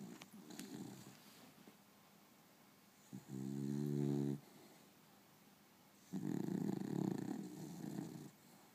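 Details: Sleeping Beagle on an afternoon nap, in REM sleep: two long, rasping snores of about one to one and a half seconds, separated by quieter breathing, in a quiet indoor room.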